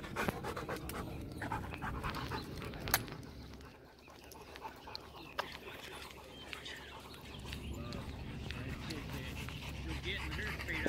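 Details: Rottweiler Macho pants between rounds of fetch as he is led off for water. Quick rasping breaths fill the opening seconds, then a man's voice speaks over the quieter breathing.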